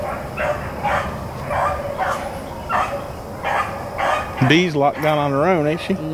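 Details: Rabbit-running Blackcreek and Bluetick hounds, April 4, 2013, chopping out short repeated bays for about four seconds before a man's voice takes over and describes the chase.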